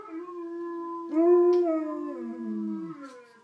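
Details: A female Alaskan Malamute, prompted by other malamute howling videos, howls in a long, steady tone that breaks upward, then wavers and slides down; rich in harmonics, close in a small room.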